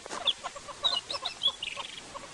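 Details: A tree squirrel in the African bush on a sunrise safari drive, 18 May 2016, gives a rapid, clucking alarm chatter of sharp, clicky bursts with high squeaky notes; a predator, possibly a leopard, had also alarmed kudu and hornbills.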